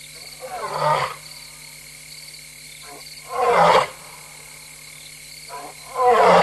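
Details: Restless lone female lion at night in Tembe, 3:15 AM on 26 August 2022, captured by a live camera: three deep, coarse grunting roar bursts, each under a second, spaced about two to three seconds apart, with faint murmurs between them.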